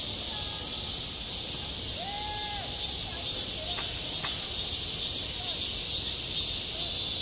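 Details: Cicadas shrilling in summer over a school playground, a constant high buzzing sheet of sound, with a faint drawn-out distant voice and a couple of sharp clicks beneath.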